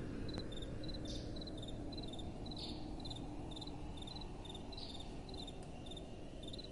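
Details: Night-time crickets in a fast, busy run of high pulsed chirps, several bursts per second overlapping, set against a constant hiss and rumble of gentle wind.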